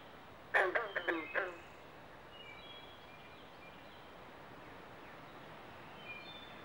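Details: From a Pinelands pond in Southampton, New Jersey, a loud run of four or five rapid, hammering frog croaks opens the clip, carpenter and green frogs in mating season, followed by quiet background with thin distant bird whistles.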